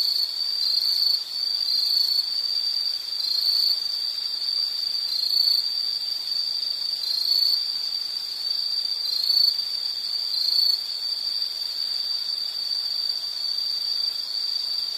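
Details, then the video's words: Insects trilling in a nature soundscape: an unbroken high-pitched ringing drone, gently wavering, with faint brief higher chirps recurring roughly every two seconds. "Nature Sound of nature sounds scenery L · insect"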